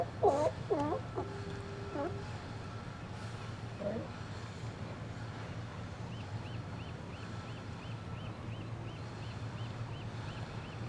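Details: Resident Steller sea lions relaxing and chatting among themselves in an outer harbour on a sunny winter day, January 2012: a burst of wavering, moaning harmonic calls in the opening two seconds, then a steady low hum and a faint, regularly repeated high squeak.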